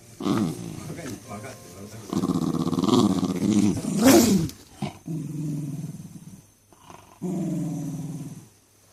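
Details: Pet Jack Russell Terrier kept at a family home, complaining constantly: low, voiced grumbles with throaty growling tones rising and falling in uneven bursts, a sharp broad burst near the middle, then two shorter moaning grumbles.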